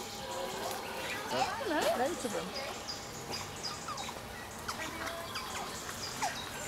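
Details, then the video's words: Asian small-clawed otters enjoying an afternoon of play with rocks, squealing happily: a burst of wobbling, undulating squeals in the middle, surrounded by scattered high chirps and soft chatter. "Felices nutrias chillan de emoción mientras juegan"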